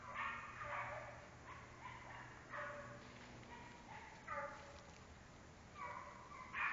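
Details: American Foxhound baying repeatedly in short, ringing bursts roughly every second. Some notes rise and then fall, over a faint low background hum.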